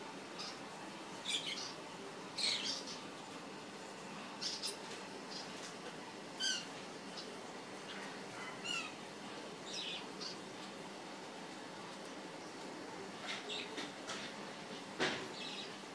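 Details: Baby hamsters, several small young animals moving about together, giving scattered short high-pitched squeaks and chirps at irregular intervals over a soft rustling background.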